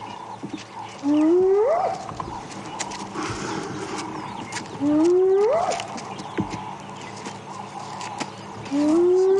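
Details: Spotted hyena calling at sunrise on a safari drive, a contact call before going to ground for the day; rising whoops repeated roughly every four seconds, each sweeping smoothly upward, with faint birds and bush sounds between.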